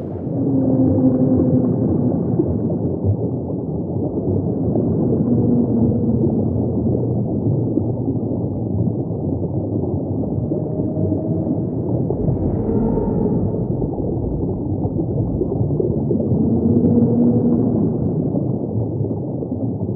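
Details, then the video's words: Singing humpback whale, low sustained tonal units that rise and fall, repeated several times across twenty seconds, with one short higher upswept cry near the middle, all above a constant rumbling ocean background. "the song of a humpback"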